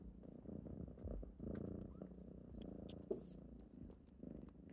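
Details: Kittens purring during a morning wake-up: a steady low rumble that rises and falls in breathing cycles, broken by a brief sharp tap near the end.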